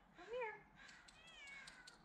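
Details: Olive, a cat climbing down from a tree branch during a rescue, gives one loud arched meow that rises and falls, then a longer, fainter, level wail. Quiet background.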